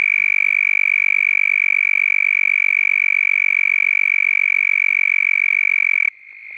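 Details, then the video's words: A toad gives its mating call close up: a long, steady, high musical trill, a rapid run of pulses blended into one ringing tone. "Croaking Toad (CLOSE UP VIEW) 🐸"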